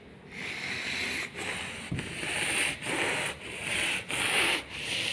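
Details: Rhythmic rasping rub, like sanding or brushing, in strokes broken by brief pauses about every two-thirds of a second, with no animal calls heard.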